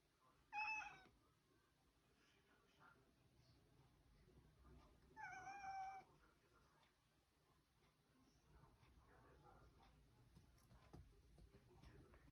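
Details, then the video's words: Domestic cat demanding access to the fridge indoors, giving two loud, drawn-out harmonic meows about four seconds apart, the second longer and level. Between and after them, a quiet room with a low rumble and faint clicks. "Cat demanding access to the fridge"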